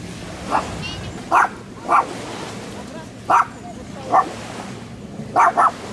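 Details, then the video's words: Dog barking, recorded handheld with a Sony FDR-AXP55 camcorder: seven loud, abrupt barks, ending in a rapid double bark, over a low continuous background rush. "Собака лает Dog barks"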